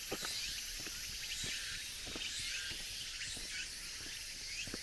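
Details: Dense high cicada chorus in mountain woods at the close of summer, a continuous hiss with soft rising pulses, accompanied by irregular footfalls on gravel.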